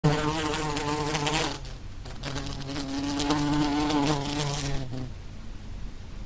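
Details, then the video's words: Flies buzzing in a steady, low droning hum with layered harmonics, fading briefly around two seconds and again near five seconds before the drone returns more softly. "flies buzzing sound"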